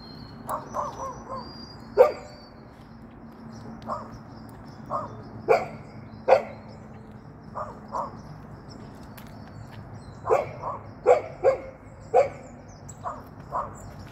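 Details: Hopping golden retriever yipping in scattered clusters, softer yelps mixed with louder sharp barks, over a steady low hum and faint outdoor background.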